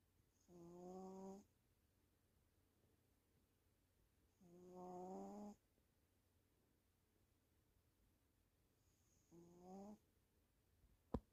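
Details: Female pet cat asleep, snoring: three rasping, tonal breaths, each about a second long and spaced roughly four seconds apart, followed by a soft click at the end; otherwise a quiet indoor setting.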